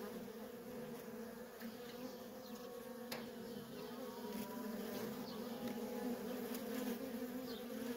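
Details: Steady flight traffic of worker honey bees at a feral nest makes an unbroken droning buzz. The volume swells gradually toward the end as more bees pass nearby, with a few sharp ticks.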